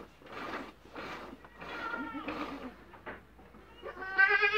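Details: Dairy goats in their first days of milking, bleating: several harmonic, wavering bleats, each under a second, with short gaps between them, the last bleat loudest and bright-toned.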